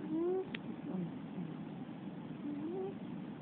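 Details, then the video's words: Female Russian Blue cat snoring while asleep in the middle of the night: soft, whistling rising tones with each breath, two breaths roughly two seconds apart, over steady low room hiss. "猫のいびき ロシアン２"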